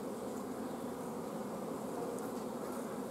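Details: Honey bees in a hive filmed at an apiary on 14 June 2016, when a shortage of forage made the colony block its queen from laying; a thick, even drone of many bees continues without pause, with faint higher ticks above.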